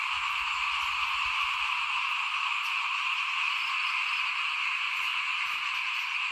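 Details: Frogs calling in front of a house at rice sowing time in 2021, forming a dense, unbroken chorus that hums steadily in two bands, mid and high, with a few soft low thumps early on.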